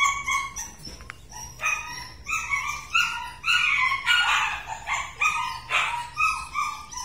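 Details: Purebred large-line Rottweiler dogs; a steady run of high whines and yelps, a few seconds of dense overlapping cries in the middle, then pulsing whimpers roughly every half second.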